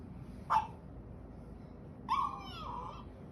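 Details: Akita dog crying as it is petted and spoken to: a short high whine, then after a pause a longer, steadier whimpering cry that trails off.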